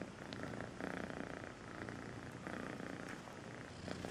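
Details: Sweet purring from a kitten, a continuous low rumbling purr with soft pulsing texture and no other clear sounds.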